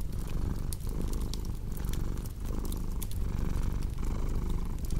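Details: Deep rumbling cat purr pulsing in breath-length cycles under scattered crackles from a burning fireplace.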